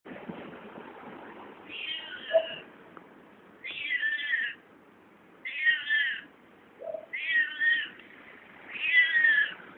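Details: A found cat making weird noises: five strained, nasal meows about every two seconds, each slightly falling in pitch, with a soft low murmur and rustle between them.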